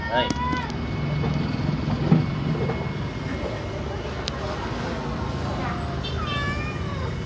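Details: Market cat in Duri, Riau begging for food, giving a quick wavering meow at the start and another rising-falling meow later, set against steady crowd voices and low vehicle rumble.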